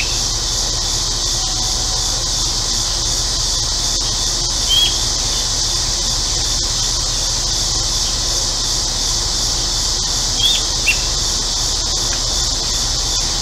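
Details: Steady, shimmering cicada drone on a hot central Illinois day. Brief bird chirps appear around five and eleven seconds, a faint whistle near one and a half seconds, with air-conditioner hum underneath.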